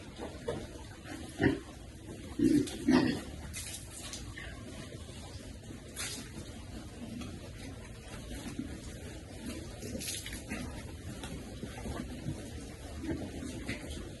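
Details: Piglets enjoying cool water, content and happy: a few short, low grunts cluster in the opening seconds, then softer scattered snuffles amid splashing water and steady background murmur.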